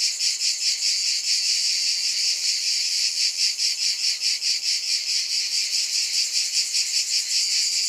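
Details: Shrill insect buzzing from cicadas, constant and bright, with a rippling pulse repeating about every half second and nothing else audible.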